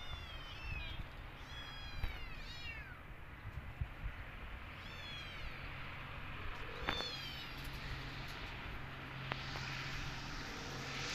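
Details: A cat family out visiting a new place; a run of high, arching kitten meows repeats through the first half, followed by a few fainter mews, against steady low-frequency noise.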